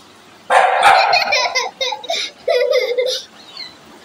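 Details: Angry dog giving a rapid series of harsh, harmonic barks and snarls, a long rough burst followed by shorter clipped ones, then quieting after about three seconds.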